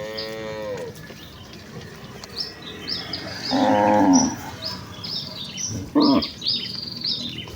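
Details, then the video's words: Herd of village cattle running toward the pen; a fading moo at the start, then a short loud moo near four seconds and another near six, with birds chirping high above throughout. "suara moo khas sapi desa"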